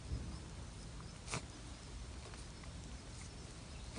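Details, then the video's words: Rabbit on Okunoshima, the Rabbit Island in the Seto Inland Sea, Takehara City, Hiroshima, Japan, sneezing while grooming its face: one short, sharp burst early on, with a fainter one at the end, over steady low outdoor hiss. "Rabbit putting on makeup while sneezing"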